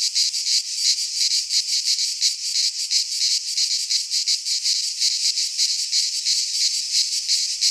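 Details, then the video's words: Cicadas singing in midsummer in a Greek pine forest: a dense, high, hissing buzz that throbs in rapid pulses, about three per second, with no other sounds. "Cicadas singing in midsummer - Nature sounds from the Greek fauna - Sounds of cicadas"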